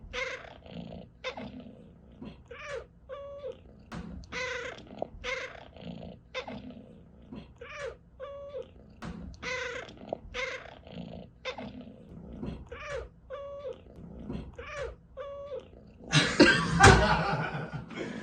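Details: Pet cat chirping over and over, short clipped calls repeated roughly every second, about fifteen in a row, ending in a loud burst of rustling noise.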